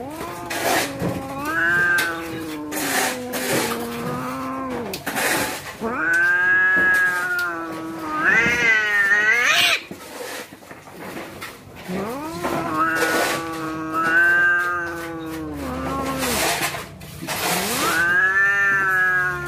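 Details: Domestic cats about to fight, yowling in long drawn-out wails that rise and fall, several overlapping harmonic howls with short gaps and sharp clicks between them.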